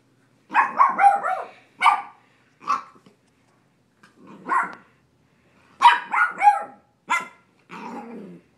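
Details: Puppy named Coda playing roughly with a cat called Grizzly: bursts of short, yappy barks in quick clusters, some run together with growly edges, then a lower drawn-out growling bark at the end; quiet gaps between.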